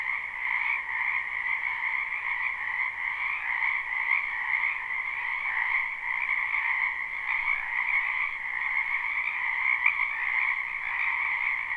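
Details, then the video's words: Numerous frogs croak in a wetland during spring, captured live without looping: an even, continuous chorus of fast trills in two pitch bands, softly swelling and fading, with no other sound sources. "Ambient Noise for Sleep Frogs Black Screen"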